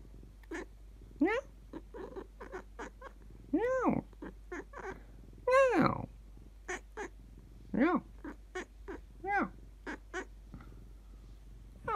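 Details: Pet cat Shichimi, who replies when spoken to in cat language, giving a series of short meows, some long and rising then falling, separated by brief pauses.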